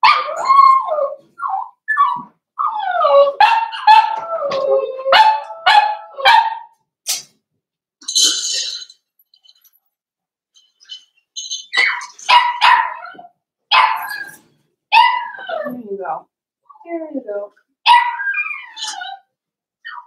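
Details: Blenheim Cavalier King Charles Spaniel puppies from a litter of five born at New Year's, calling in a home puppy pen: dense bursts of high, wavering whines and sharp yips in rapid runs, with short quiet gaps between flurries.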